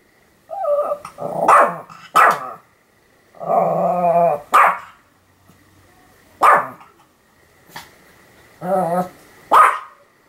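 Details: Pomeranian named Sam barking continuously, recorded 7 October 2015; sharp yaps mixed with drawn-out, wavering whine-like barks, roughly one outburst every second or two with brief pauses between.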